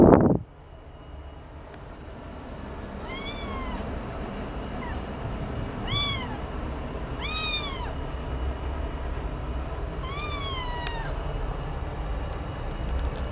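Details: Munchkin cat giving four clear meows spaced a few seconds apart, each a rising-then-falling tone, the last one longer and sliding downward, over a steady low background rumble.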